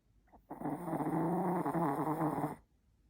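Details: A sleeping Chihuahua gives one long, rough, rasping snore lasting about two seconds, low and buzzy with a growl-like texture, starting and stopping sharply, with quiet before and after.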